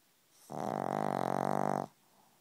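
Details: Pug snoring close to the ear: one sustained, rasping, strongly harmonic snore of about one and a half seconds, with a steady rattling pulse through it, in a quiet indoor room.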